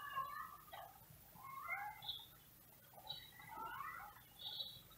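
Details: Male cat outside calling in wavering, drawn-out meows that rise and fall, several overlapping in quick succession over a steady low hum.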